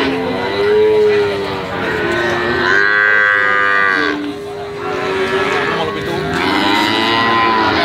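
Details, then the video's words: A calf mooing in a sequence of drawn-out, melodious, mid-pitched calls rich in harmonics. Each call lasts one to two seconds and bends slightly up and then down. Brief gaps separate the calls, with faint background noise. "SUARA SAPI PEDET MERDU ( SUARA HEHAN )"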